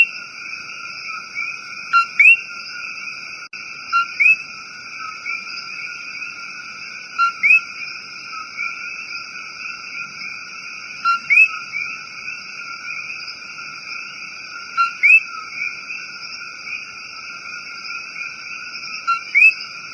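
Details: Coqui frog in a rainforest giving its two-note co-qui call: a short low note, then a higher upward-sweeping whistle, repeated about six times at irregular two-to-four-second gaps over a steady, high, droning chorus of other night callers.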